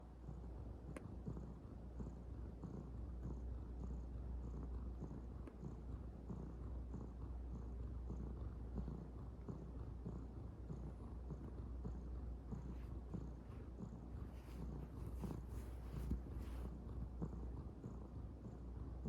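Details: Calico kitten that cannot stop kneading, purring steadily: a continuous low, rough rumble throughout with no pauses, plus faint soft rustles near the end.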